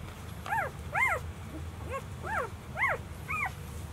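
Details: Four-day-old Golden Retriever puppies from a litter of five males and one female, born 26 April 2018, squeal in thin, short whimpers rising then falling, in quick irregular bursts over a low rumble.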